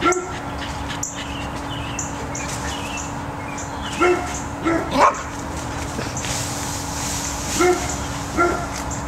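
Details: Max, a pet cocker spaniel afraid to enter a tunnel that hides his treats, working to get them out; five short, sharp barks come in bursts between the fourth and ninth seconds over a steady hum, with faint high bird chirps.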